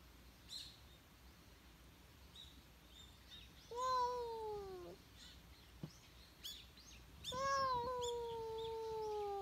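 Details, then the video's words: Outdoors, a stray cat that seems to be pleading for something utters a falling meow, then after a few seconds a longer, steadier one; scattered high bird chirps and a brief click are heard around them. "今日の野良猫くんは ・・ 何かを訴える！？？"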